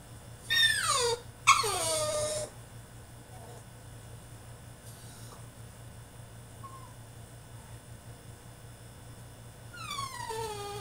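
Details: French Bulldog throwing a tantrum in his cage: two loud, harsh squealing cries close together, then quiet with a faint short whimper, and a falling whine at the end; low hum throughout.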